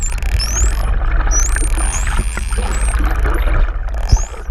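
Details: Underwater off Oahu, Hawaii, a mother and calf pair of Hawaiian false killer whales on a GoPro: a string of thin, high, rising and gliding whistles above steady low water rumble and scattered clicks.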